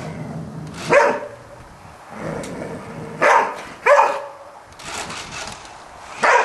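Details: Golden Retriever named Fabio barking at a Spiderman toy: four sharp, loud barks spaced irregularly over about six seconds, with quiet room background between them.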